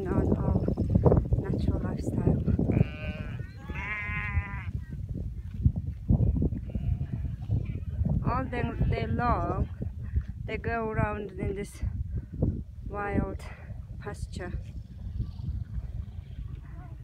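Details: Free-pastured cashmere goats in a mixed herd with sheep in the wilderness of North Eastern Mongolia, driven by motorbike. Several loud wavering, quavering bleats come in bursts over low rumbling engine and trampling noise, with a man speaking.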